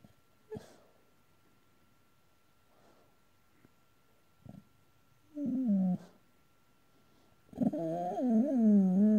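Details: Boxer dog, male, dreaming while asleep: soft clicks and breaths at first, then a short wavering whine and a long, rising-and-falling moaning whimper to close.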